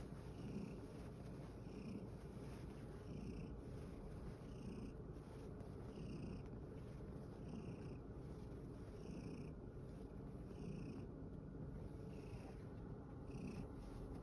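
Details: Worn out from playing in a field, Satchan, a rescued male cat at Kazeno Kobo, gives a continuous deep purr. Faint higher tonal pulses recur roughly every one and a half seconds in the background.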